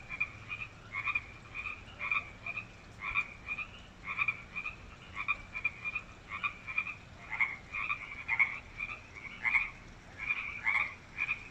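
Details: Several frogs that settled in a newly constructed water feature at UBC's Wesbrook Village croak loudly; rhythmic pulsed calls about once a second, overlapping voices, growing stronger toward the end.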